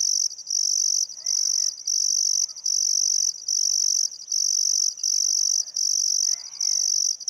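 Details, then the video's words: Sunset cricket chorus beside the Barcoo River in Welford National Park, Outback Queensland, in summer: shrill, steady trilling in bursts of about a second separated by short pauses, with soft birdcalls in the background. "Australian Sunset Chirping Crickets"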